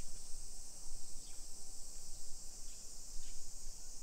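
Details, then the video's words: Cicadas singing at 1 PM on a summer day, 28 July 2021, in a modern neighborhood of Nisshin city outside Nagoya, Japan. An unbroken shrill buzz fills the air, broken by three brief faint sweeping chirps over low street rumble. "Summer Cicadas Sounds"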